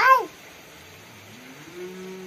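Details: A short, clipped cat meow, barely a quarter second, dropping in pitch, then low steady hum and faint distant tones.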